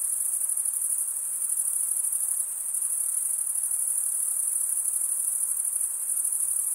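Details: Crickets chirping in a dense chorus, a steady, shrill, very high trill that stays unbroken at an even loudness throughout, with a faint hiss underneath and no other animals or voices.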